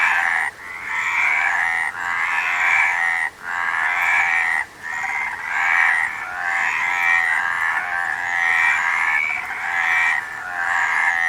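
Frogs calling in a dense, continuous chorus of rasping, pulsed croaks with brief pauses.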